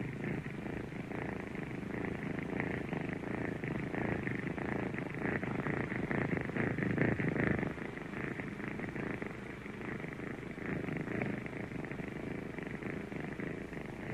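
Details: Kitten purring close up: a continuous low, rough rumble with fast rhythmic pulsing and slight swells in loudness, no other sounds.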